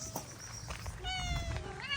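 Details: Stray cat being fed outdoors: a drawn-out, level meow followed by a short rising one, over low rumbling background noise, with people's friendly greetings close by.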